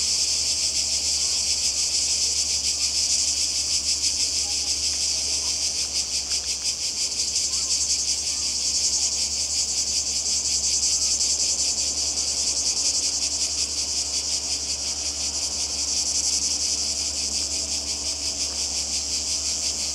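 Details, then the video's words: Croatian coastal cicadas in summer 2020 sustain a loud, high, buzzing drone for twenty seconds, finely pulsed and swelling slightly at moments, with a low steady rumble beneath. "Kroatien Zikaden und Meer"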